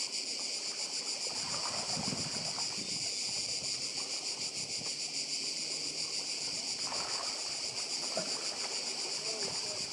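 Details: Continuous shrill cicada chorus on Badija island in Croatia, recorded beside the sea; the high buzzing stays unbroken throughout while soft splashes and surf-like noise rise and fall underneath.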